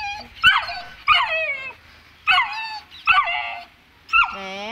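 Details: Frightened of the stairs, a two-month-old Saint Bernard puppy lets out sharp yelping whines roughly once a second. Each starts high and slides downward, and a long, steadier whine closes the run.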